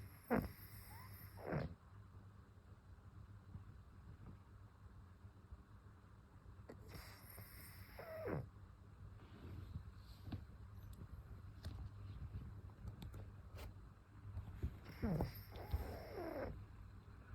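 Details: A pug named Ume snores softly, with low, breathy rumbles and snorts coming in slow bursts about every seven to eight seconds, separated by quiet, faintly rumbling breaths; a brief murmur follows.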